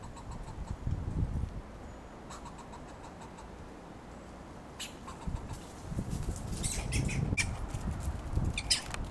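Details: A fox squirrel (Sciurus niger) in Pacific Grove, California, curls a paw against its chest and gives sharp, repeated barking chucks as alarm calls warning of danger, with low rumbling noise behind.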